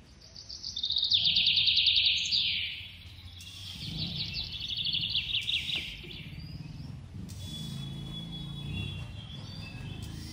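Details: A hand-fed squirrel baby trills rapidly and shrilly at a high pitch, pauses, then gives a second, softer buzzy trill. Low handling rustles and background noise fill the later seconds.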